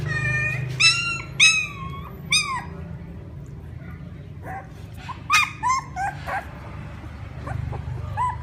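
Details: Crying puppies call for their mother with bright, wavering whines, two or three close together, then a pause and softer, shorter whimpers, all over a constant low rumble.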